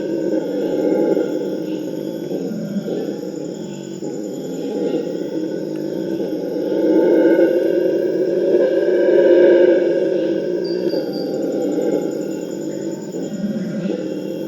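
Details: Purus red howler monkeys roaring as a group, their howls used to prevent fighting between groups; harsh, throaty roaring rises and falls in long waves, peaking loudest midway before easing off.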